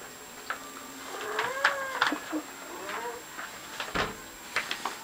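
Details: Indoor male cat agitated by a shower curtain gives several wavering, moaning yowls amid sharp rustling and clattering noises, with a man speaking to it in between.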